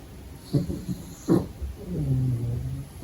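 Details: Sleeping pug puppy snoring during the day: two short snorting breaths, then a longer low rumbling snore with a steady hum, in a quiet room.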